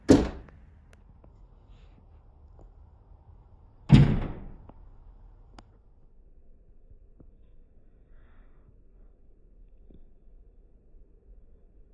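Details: Two heavy, door-like thuds about four seconds apart, then only faint scattered ticks in a quiet room; no animal voice.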